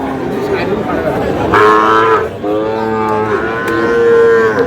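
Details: Sahiwal bull calves being bought and sold at Aftabganj market in Dinajpur as trading opens on 4 August; loud, sustained moos with rich harmonics, two long calls back to back, with a brief pause between, over crowd noise.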